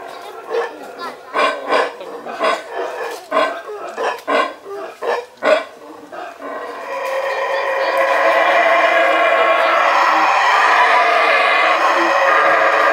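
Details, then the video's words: Howler monkeys in Belize: a run of rhythmic, deep, guttural grunting bursts that builds into a sustained, roaring chorus. "howler monkeys_Belize"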